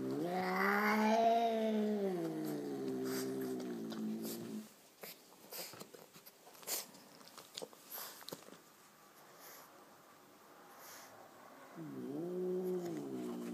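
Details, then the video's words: Angry chocolate-coloured Persian cat, growling yowls with a wavering, rising then falling tone for about four seconds, a pause with small knocks and rustles, then another drawn-out yowl near the end, indoors. "Gato Persa enfadado - Angry Persian cat"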